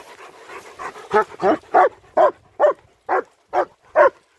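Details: German Shepherds Nico and Zeeva on a winter wander near Hawick, Scotland; a run of about nine sharp barks at roughly half-second intervals, loud and evenly spaced, building from softer huffs at the start.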